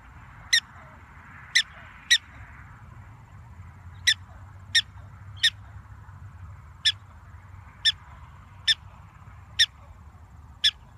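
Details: Short, sharp chirps from an excited black-tailed prairie dog come in an irregular run about once a second, some in quick pairs, others spaced over a second apart, over a faint low rumble.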